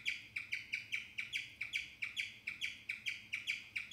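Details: A guinea pig chirps in a rapid, steady series of high, bird-like notes.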